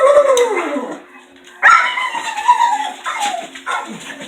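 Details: A female dog left alone in the house after the other two dogs leave gives long, wavering whines and howl-like cries that slide downward in pitch.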